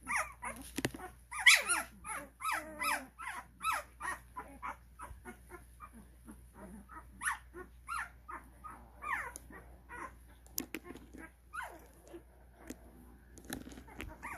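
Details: Whimpering Cane Corso puppies, 12 days old, at a kennel as recall begins: dense clusters of thin, squeaky cries with brief louder yelps early on, thinning to softer scattered whines later.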